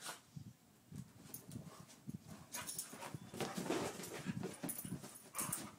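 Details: Two dogs playing, Daisy a two-year-old Pit Bull and Louie an eight-year-old Chihuahua: low, rough growling bursts come quickly and unevenly and build louder toward the end, with scuffling and scraping movement noises throughout.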